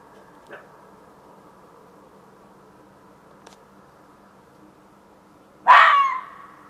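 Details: Fox calling in a back yard at night, around 1:15 am on 27 June 2013: a faint short call early on, then a single loud, harsh, rasping scream near the end over a steady low background hum.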